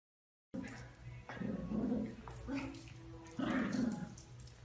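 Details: Chiweenie puppies whimpering and yipping: thin, high whines rising and wavering in short bursts, a few per second, after a brief silence, with soft background noise.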